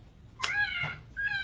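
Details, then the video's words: Cottontail rabbit distress scream, the sound a scared cottontail makes, played back at a state park talk: a sharp, harmonic-rich cry with a falling tail, a second short cry, then a higher drawn-out wail. "This is what a cottontail would sound like if it was scared."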